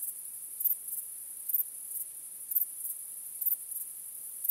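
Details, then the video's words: On a starry night, crickets keep up a thin, high continuous ringing. Louder doubled chirps return about every second. "Cykanie Świerszczy 🦗 Gwieździstą Nocą 🌙 {Night Crickets Sound}"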